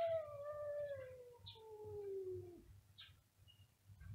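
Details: Two cats meowing very loudly together; long, drawn-out, slowly falling wails with rich overtones, one after another, followed by brief higher squeaks, heard fairly quietly over a low steady hum.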